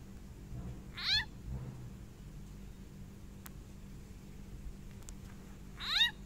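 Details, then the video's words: Small frog crying out while a snake eats it: two brief, harsh, downward-sweeping squawks with a layered tone, one near the start and one near the end, separated by quiet background hum. "เสียงงูกินเขียด เขียดร้องแอ๊บๆ"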